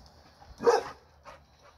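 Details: American Pit Bull Terrier giving a single loud, rough bark, with a faint shorter yip following about half a second later in otherwise quiet surroundings.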